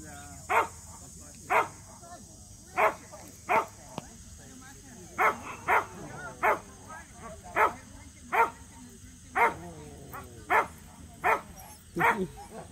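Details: Samoyeds Mozart and Zuko at their first local match show. About fifteen short, punchy barks over thirteen seconds, irregularly spaced, some in quick pairs, over constant low background noise.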